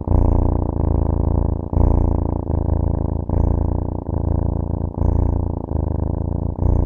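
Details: Cat purring close up, a low, buzzing rumble broken into regular cycles that shift with each breath roughly every second, with no other sounds.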